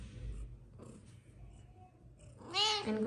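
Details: Persian cat mother with her tiny kittens, playing indoors: after quiet rustling, a short bright meow with rising then falling harmonics near the end, a woman speaking Hindi around it.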